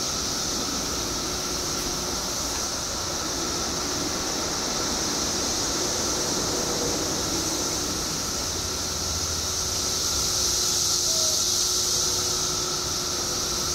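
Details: Periodical cicadas in Illinois, billions emerging after 17 years underground: a dense, unbroken shrill chorus of very high hiss with a steady lower droning band beneath, holding level throughout with only a slight swell near the end.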